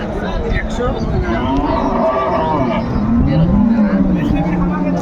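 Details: Cattle for sale at Ambari Haat in Dinajpur, 21 March 2025: a low, wavering moo rising late in the clip, heard through heavy crowd noise and traffic rumble.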